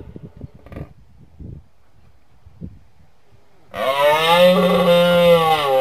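A moose gives a long, loud, nasal moan after a few seconds of soft thumps and rustling.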